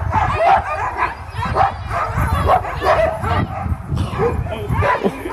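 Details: Before sled takeoff at Caribou Crossing, Yukon Territory, a team of sled dogs gives high, yelping barks in quick overlapping bursts, with low rumbling noise beneath.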